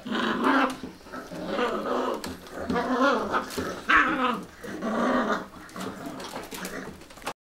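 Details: A Cocker Spaniel in a bathroom vocalizes in a string of wavering whines and low, grumbling growls.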